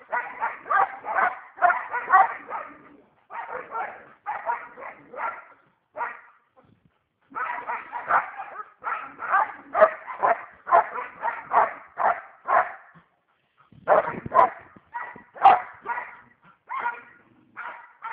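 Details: Pet dog being fierce, letting out rapid runs of harsh, rough barks, roughly two each second, grouped in bursts broken by brief silent pauses.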